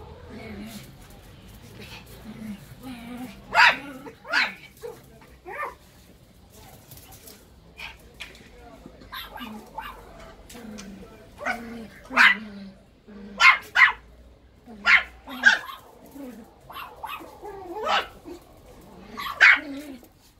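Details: Russian Toy puppies at play, giving sharp, high yapping barks in short bursts and clusters, some squeaky and rising, separated by pauses of a second or two; people talk quietly in the background throughout.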